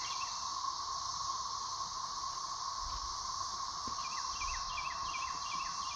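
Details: A dense, droning chorus of thirteen-year periodical cicadas emerging in 2024 over a dog yard, a steady whirring hum with faint bird chirps.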